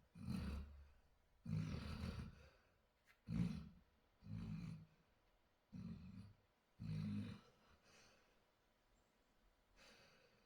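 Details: Dog snoring in its sleep, a deep rattling snore repeated about every second and a half, each burst a low guttural rasp followed by a softer breathy pause, fading to faint breaths toward the end.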